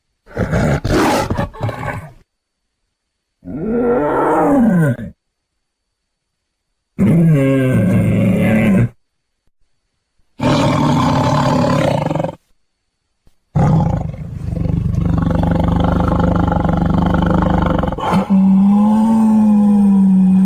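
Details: Tiger roars in several separate bouts split by silent gaps: drawn-out moaning calls that bend up and down in pitch, with a longer, steadier low roar near the end.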